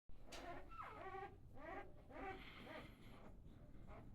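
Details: Sleeping black Labrador and goldador puppies make soft, humming whimpers that slide downward in pitch, several in quick succession.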